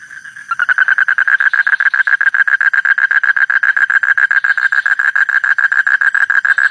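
A frog gives a steady run of loud, rasping pulses, several each second, at a mid pitch.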